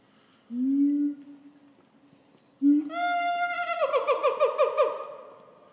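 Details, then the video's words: Nene, the oldest female gorilla, angry that the silverback Shabani interrupted her indoor breakfast in December 2022, chases him. Low hummed tones give way to a loud, harsh, harmonic-rich scream that pulses for about three seconds. "Angry Female Gorilla Screams & Chases After A Silverback"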